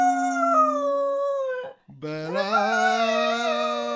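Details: Pet Cocker Spaniel singing along with its owner indoors: two long sustained howled tones, the first level and steady, then after a short break a lower tone rising and holding, with rich wavering overtones.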